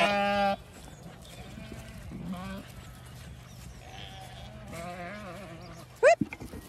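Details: Zwartbles hoggetts gathering at their keeper's feet as the flock is moved between fields on a County Kilkenny farm in Ireland; a strong bleat opens, followed by quieter wavering bleats and a sharp rising cry near the end.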